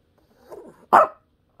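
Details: Pet dog, asked to say "mom", gives a short sharp bark after a soft low grumbling rumble, a single burst in a quiet indoor room.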